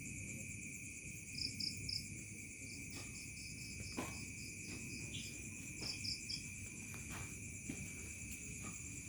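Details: Crickets in a remote village at dusk turning to night: steady high shrill trills drone on without pause, while short bursts of sharper pulsed chirps come in twos and threes. A faint low rumble of ambient noise lies beneath.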